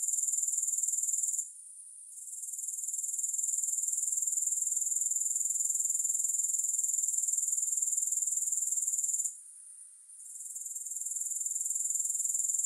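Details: Continuous high-pitched grasshopper trill, no music, pulsing about four times per second; twice the sound drops abruptly to a faint whisper for under a second, then rises smoothly back to its earlier level.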